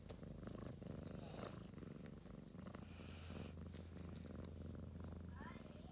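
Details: Purring Ragamuffin cat beside a sleeping child indoors; a low continuous rumble with a soft hiss of movement around one and three seconds.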